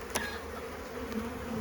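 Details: Honey bees in a garden hive in spring, busy on wax-built frames as the beekeeper lifts off an old plastic queen excluder to add a honey super; a steady low droning hum with a sharp click near the start.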